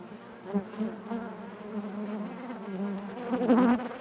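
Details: Inside a honey bee hive, a continuous low buzz hums on, with a higher, wavering whine rising over it near the end as one bee passes close.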